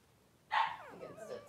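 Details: Three-day-old Blenheim Cavalier King Charles Spaniel pup, one of two newborn boys in a puppy pen with mother Pom-Pom, lets out a loud squealing cry that slides downward, then trails off into softer whining.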